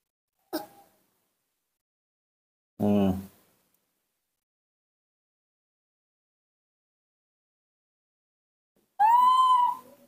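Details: Newborn baby monkey, hand-raised, calling in a sweet little voice when it sees milk: three brief separate cries, the last a clear high tonal wail with rich harmonics, with silent gaps between them.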